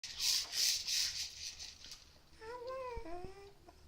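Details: Willow, a pet cat fond of making strange new noises, indoors: scratchy rubbing bursts give way to a short, tonal, warbling chirp that wavers up and down near the end, followed by a person calling to her.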